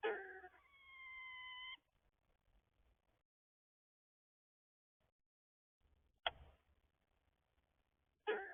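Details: An eastern gray squirrel in the morning gives a rasping burst that draws out into a steady, nasal, whining moan.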